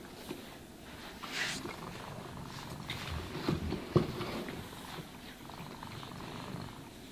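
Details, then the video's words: Cat being groomed and brushed purrs with a deep, continuous rumble, joined by a few soft brush sweeps and small clicking handling noises partway through. "Cats Purring Sounds for Sleep and Stress Relief | Cat Brushing, Cat Grooming"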